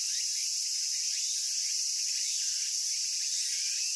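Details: Cicada chorus in Japan: a constant shrill hiss filling the upper range, with faint brief rising chirps sprinkled beneath it at irregular intervals.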